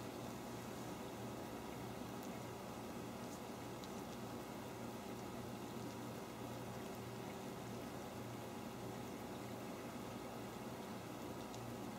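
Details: Steady patter of rain with a low watery rumble and a faint mechanical hum, no animal voices.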